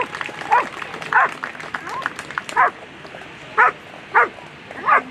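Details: German Shepherd at a world championship agility competition, final round: sharp single barks repeated about once a second, six in all, over a steady crowd murmur and arena noise.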